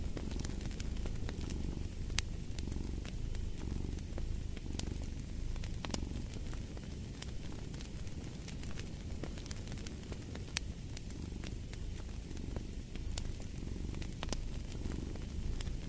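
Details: Soft, low cat purr runs as a steady hum beneath a crackling fireplace that pops and snaps every few moments.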